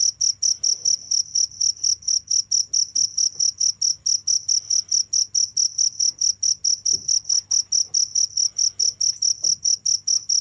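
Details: Unbroken cricket chirping, sharp high pulses about four per second in a regular train, with a quiet low hum and scattered faint clicks in the background.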